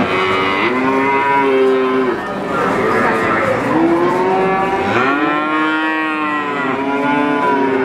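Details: Calf bawling repeatedly: several arched, nasal moos of one to two seconds, each swelling then dropping in pitch, separated by brief pauses.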